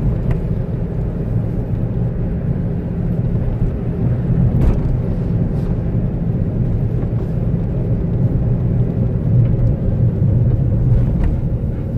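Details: Loud low-pitched road and engine drone with a few soft knocks, with no animal calls heard.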